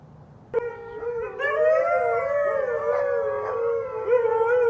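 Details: Siberian Husky howling, one of four huskies kept with a Pomeranian; a sustained, wavering tonal howl with rich overtones that rises slightly and bends up and down, beginning after a short quiet start, with several voices overlapping into a chorus.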